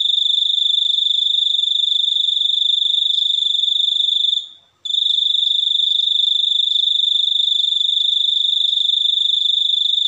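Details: Continuous shrill cricket chirping, a rapid buzzing pulse held at one high pitch, broken only by a short silent gap around four and a half seconds before carrying on unchanged.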